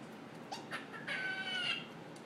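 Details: A squirrel gives a brief, strained, nasal squeal after a few short chirping sounds, a weird noise it began making only that day and had never made before.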